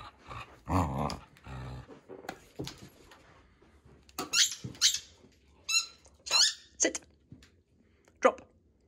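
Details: Female Border Collie fighting for her ball indoors: low rumbling growls early on, then a series of sharp high squeaky yelps and whines in short bursts about half a second apart, with scuffling noises.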